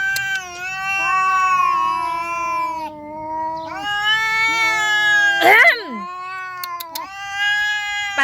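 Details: Calico cats in a tense standoff between a young cat and a nursing mother cat: long, loud, wavering yowls with rich harmonics sliding slowly downward, a sharp hiss-like burst near the middle, and a woman's voice urging the cat away.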